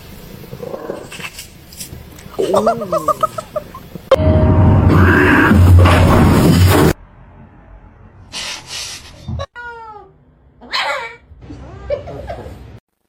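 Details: Cat giving short arched meows and caterwaul-like calls, scattered between bursts of loud background music and human chatter, with a clear down-sweeping meow near the end.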